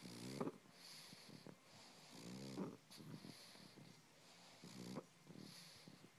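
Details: A pug makes rumbling snorts that her owner calls purring like a kitten, each a low rattling burst about every two seconds.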